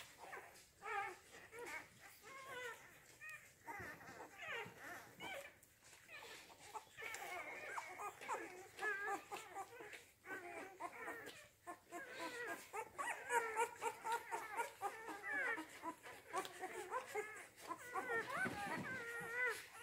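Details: Rhodesian Ridgeback puppies of the C litter, born 8 June 2019, at the Letsatsi kwa Africa kennel: many overlapping high squeaky whimpers and yelps, wavering and rising, nearly continuous throughout with brief pauses.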